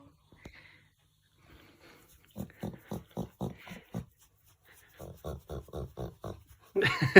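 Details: A Golden Retriever being petted makes rhythmic grunting huffs in two quick runs, like a pig snorting.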